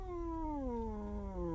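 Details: Large male cat living on a truck, asleep and dreaming, utters one long smooth moaning growl that glides slowly downward in pitch for over a second.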